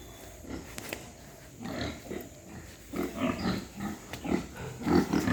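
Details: Pigs at a white pig farm in Hooghly district, India, seen in the morning: short low grunts come in uneven bursts, growing louder and denser toward the end.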